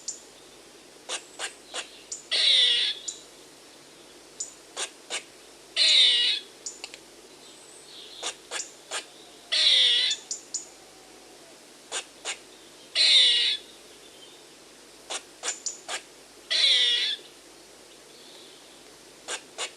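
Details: Calling squirrel repeating a steady pattern about five times: bursts of crisp high clicks, each series ending in a coarse, hissing rasp, cycles spaced around three and a half seconds apart against a quiet background.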